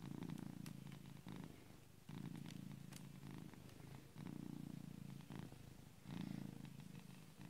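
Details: A cat asleep purrs like a tractor, a heavy low vibrating drone in roughly four long phases with short dips between breaths, steady and rhythmic throughout, some light crackles overhead.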